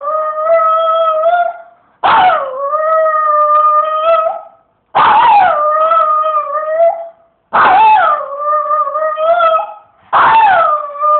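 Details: Domestic dog "singing": long, steady howled notes with rich harmonics, each held about one to two seconds, starting with a sharp rise then settling. Five howls come in a row with short silent gaps between them.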